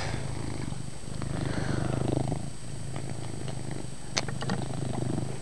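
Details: Chase, a pet cat indoors, purrs loudly in a steady low rumbling drone with fine rapid pulsing throughout, swelling slightly in the middle; a few faint clicks and rustles near the end.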